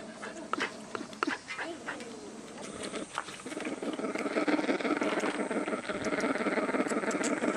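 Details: Male Asian black bear cub at Ani Bear Park, 9 August 2015, with a keeper acting as substitute mother, heard at very close range giving sasa-naki cub calls: a rapid rhythmic buzzing stream of pulses, about three per second, swelling after scattered clicks.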